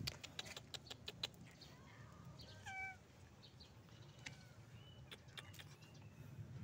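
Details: Hungry stray cat on the street calling its friends for food, giving a short, clear, rising meow midway, with faint softer calls around it and clicks and street noise in the background.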